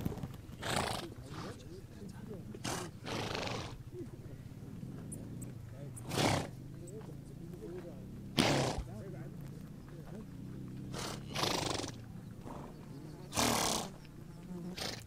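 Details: Horses on the steppe in Mongolia give repeated sharp, noisy snorts and blowing breaths every few seconds, while low murmuring voices run underneath.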